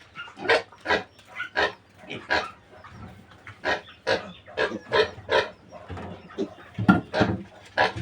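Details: Weaned piglets from a new sow grunting in short, rough, broadband bursts. The bursts repeat irregularly about twice per second throughout, with faint low background hum.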